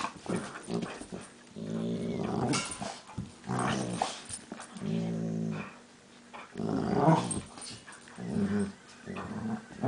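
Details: Two dogs, Max and Leo, play fighting, with the smaller Leo known for strange monkey-like noises. Deep rumbling growls swell and fade in long stretches of a second or two, separated by brief pauses and snapping huffs.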